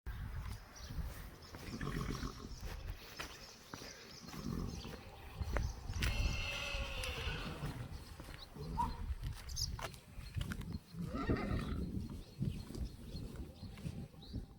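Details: Friesian horses from a herd that escaped and seem scared of something in the stable; a single harmonic whinny swells near the middle and slides downward, over steady low rumbling, shuffling and scattered knocks.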